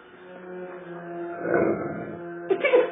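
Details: Great Dane indoors talking back to its owner after being told to lie down: a drawn-out, moaning, wail-like vocal with steady low tone, swelling in the middle and ending in a short rising yelp-like burst, in a small room.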